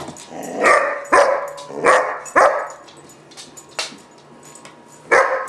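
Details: German Shepherd puppy Gunner, about 4-5 months old, barking in a tantrum: five or six separate harsh barks spaced roughly a second apart, with quieter gaps between them.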